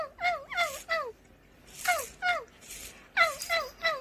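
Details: Short, falling mews from a cat come in quick clusters of two or three, with soft breathy noise and rustling between the groups.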